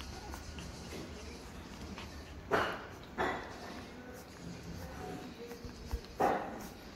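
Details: Pug puppy indoors giving three short, breathy snorting grunts at about two and a half, three and six seconds, separated by quiet snuffling and low room hiss.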